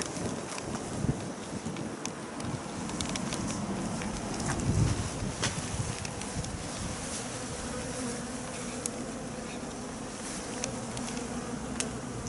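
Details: Swarm of Japanese honeybees, possibly several thousand, being captured during swarming: a dense continuous humming buzz of many bees, steady throughout, with scattered clicks and knocks.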